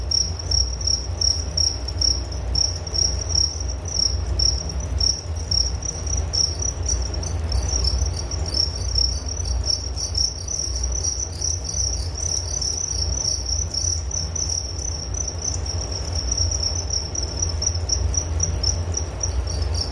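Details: Relaxing cricket sounds for sleep, a continuous high-pitched pulsing trill holding one tone with scattered overlapping chirps higher up, over a noticeable low background rumble.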